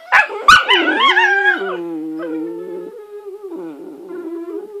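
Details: Mouthy whippet puppies give high, wavering howl-like whines and yips that slide up and down in pitch.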